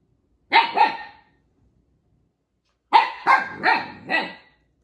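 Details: Young Siberian Husky puppy barking at another husky puppy that took his toy: two sharp, full barks, a short silence, then a quicker run of four barks, each with a rough, breathy edge. No other sounds.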